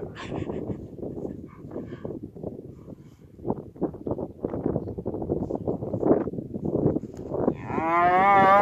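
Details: A cow in a field with Friesian horses, foals, yearlings and two-year-olds, gives a single low, drawn-out moo with rich harmonics near the end. It follows several seconds of thudding and rustling movement sounds.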